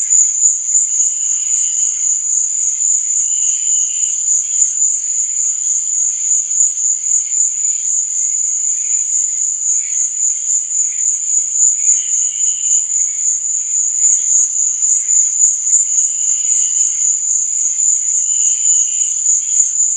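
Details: Nighttime crickets keep up a shrill, evenly pulsing trill throughout, while a few fainter, lower chirp phrases surface intermittently behind it.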